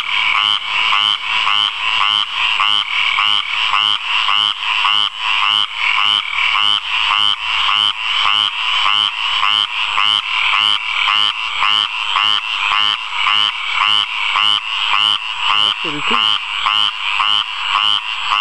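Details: A frog singing in a water puddle: a loud, continuous series of rapid pulsed croaks, each note a bright rattling burst repeated almost twice a second in a steady, regular rhythm throughout.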